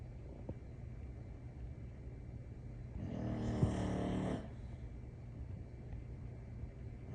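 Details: An English Bulldog, sleeping, gives one long, rumbling snore with a buzzy, rattling edge over a steady low hum.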